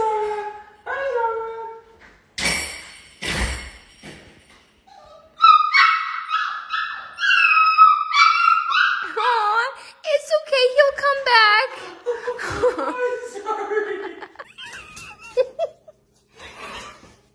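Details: Chihuahua puppy whining and howling as the owner's husband leaves, with long wavering, quavering whines rising and falling, some breaking into warbled yelps, and a woman's voice at the start.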